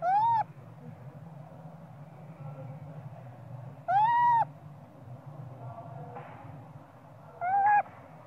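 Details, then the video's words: Small spoiled young monkey crying and screaming for its mother to nurse it, perhaps hungry for milk: three clear, arched, whistled wails about every three and a half seconds, each rising then falling, over a steady low hum. "Small spoil monkey cry & screaming coz he need mom monkey popeye"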